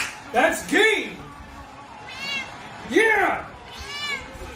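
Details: Domestic cat in a funny cat compilation, giving a few drawn-out, arching meows that rise and fall, two louder ones about two seconds apart, with fainter mewing in between and a human voice in the background.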